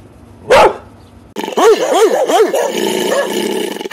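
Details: Dog barking: a single sharp bark, a pause, then a quick run of five rising-and-falling barks, followed by steady background noise with a fainter bark.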